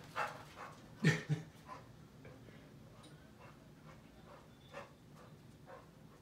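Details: Sebastian, a male Chow Chow said to be losing his mind, lets out a few short, rough barks: one loud double burst early on, then fainter scattered woofs spaced seconds apart over a low, steady background hum.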